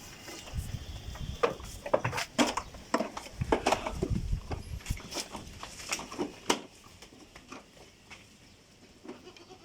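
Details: Goats kept on a rooftop garden in Bangladesh bleat briefly while being playfully teased, short calls scattered through the first half amid sharp clicks, handling noise and rustling, with a person talking in Bengali nearby.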